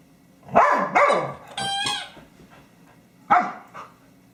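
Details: Honey, a pet dog, playing with her favorite squeaky toy on 24 January 2012, gives short, falling, yelping howl-like barks: two close together, then one more after a pause. A thin, steady squeal from the squeaky toy sounds between them.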